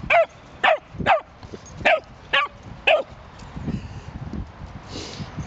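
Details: Playing in a park with another dog, a Cavalier King Charles Spaniel gives six quick, bright yaps in about three seconds. Quieter scuffling and park noise follow.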